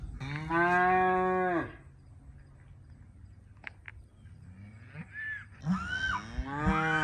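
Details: Calves on the first day of weaning bawl loudly in long harmonic moos, calling for their separated mothers, who come up to check on them; a bull is also nearby, and the calling is expected to last into the night.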